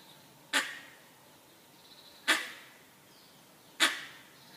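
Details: Three abrupt, harsh barks from a langur raising the alarm, spaced about one and a half seconds apart, each fading quickly into a calm, quiet setting.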